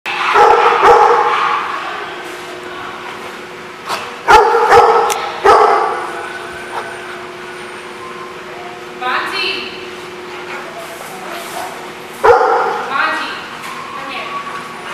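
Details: Dog barking at The Barking Lot, recorded 23 May 2016: loud, sharp barks in separate bursts near the start, around four to six seconds and again at twelve seconds, with people talking in between.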